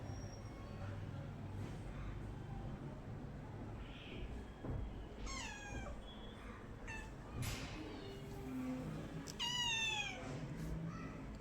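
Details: Domestic cat giving several short meows, harmonic calls falling in pitch, two clear ones in the second half, over steady low background rumble.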